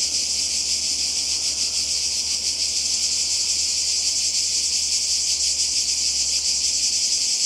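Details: On the Croatian seashore in summer 2020, a chorus of cicadas fills the air with a continuous shrill rasp, pulsing quickly and evenly without any break.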